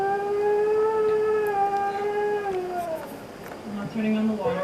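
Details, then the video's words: Indoor Siberian Husky howling at dog videos: a sustained smooth howl lasting about three seconds, fading downward, followed by softer broken yowling notes. "NORA THE HUSKY HOWLS"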